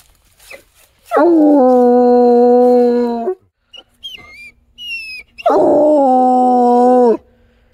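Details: A coonhound gives two long, loud howls, each starting with a rising swoop and then holding steady.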